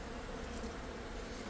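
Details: Brief burst of honey bee colony noise from a hive packed with brood, opened during a live removal in Buena Park, California; dense, even, rough buzzing across a broad band.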